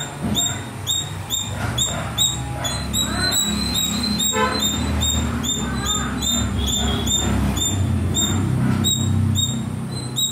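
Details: Little squirrel among the trees keeps up rapid high chirps around twice per second, while a louder low rumble like passing traffic and some fainter mid-pitched calls fill the background.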